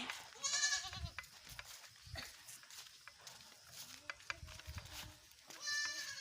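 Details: Herded goats following their keeper, who urges them to hurry: loud, quavering bleats open and close the stretch, with a few softer bleats and footstep-like thumps in between.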